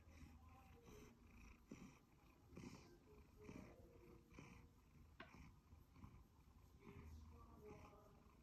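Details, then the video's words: Happy purring from Sacha, a one-year-old male Siberian Forest cat: a low, continuous throaty rumble that swells and fades in uneven breathing cycles, with a faint click partway through. "Happy purring Siberian cat"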